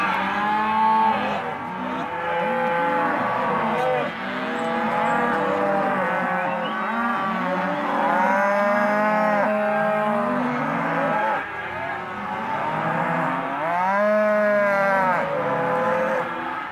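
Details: Half-tooth Hereford and Careta cows in an auction pen, a steady mass of overlapping moos, several louder rising-falling bellows standing out near the middle and toward the end.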